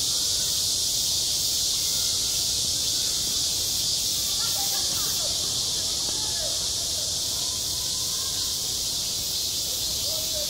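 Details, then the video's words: Cicadas singing on a school playground at the height of summer: a dense, unbroken high buzzing hiss that fills the whole stretch, with faint distant voices murmuring beneath it. "한 여름 운동장에서 매미가 울고 있다"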